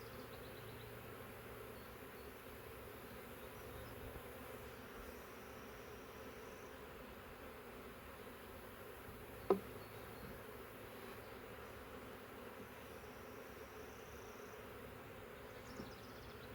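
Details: Thousands of honey bees from a captured wild swarm fill the air with a continuous, even droning hum while frames are moved from the swarm trap; one sharp knock breaks the drone.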